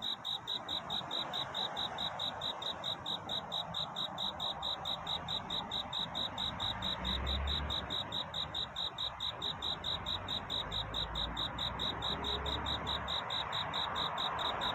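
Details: Cricket courtship song at night near dawn: a steady train of high, regular chirps, about two per second, laid over louder broadband hiss and a low rumble in the middle.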